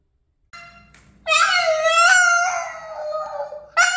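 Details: A very vocal Boston terrier named Boston sings indoors: after a short faint tone, a loud sustained harmonic howl begins, holds steady for over two seconds with slight wavers, then restarts abruptly near the end.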